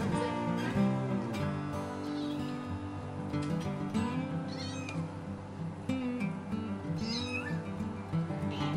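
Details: A Munchkin kitten about 7 weeks old gives thin, rising meows of distress over background music, possibly after getting stuck on a cat tower while its sibling nurses.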